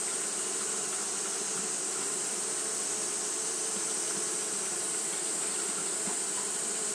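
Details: Japanese honey bees fanning nonstop on a hot day: a dense, steady droning hum with low humming bands and a constant bright high-pitched hiss, with no pauses throughout.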